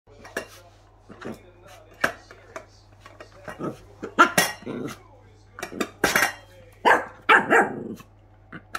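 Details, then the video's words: Three-month-old female West Highland White Terrier puppy, very hyper, angry at her empty bowl: short sharp barks and yaps come in scattered bursts, mixed with the clatter and scrape of the bowl being pushed around. "westie puppy angry to her bowl when it's empty"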